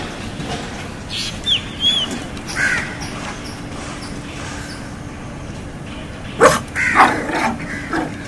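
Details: Shih Tzu puppies, 40 days old, playing, give a few short, high squeaky yips and whines, two bunched early and a louder cluster near the end, over a steady hissing background with a faint low hum.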